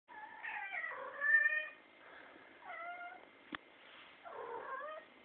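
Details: Domestic cat indoors, said to be acting crazy and making funny sounds, gives a series of drawn-out harmonic meows, some falling and some wavering, with a short pause and a sharp click midway. A steady faint tone runs throughout.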